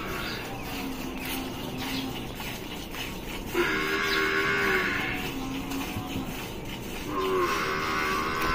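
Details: A Gir cow at milking time in Rajasthan lows twice, with a drawn-out tonal moo of over a second and then a shorter one about three seconds later. Steady rhythmic noise runs underneath throughout.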